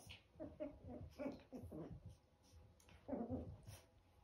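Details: Eleven-week-old chihuahua puppies in a small indoor room, giving a quick run of short, tonal whimpering yelps, about six in the first two seconds, then a louder cluster after a brief pause.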